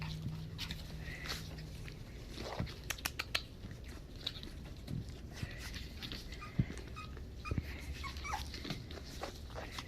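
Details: Havanese puppies recorded on January 20, 2020, giving faint, thin high whimpers and squeaks scattered through the clip over a steady low hum and soft background rustling.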